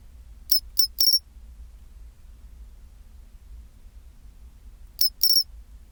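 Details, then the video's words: {'caption': 'Chirping pine cricket recorded at 24°C: a quick run of three high, tinkling metallic notes, a long pause of nearly four seconds, then another pair of bell-like chirps over soft low background noise.'} "チンチロリン Sound of pine cricket"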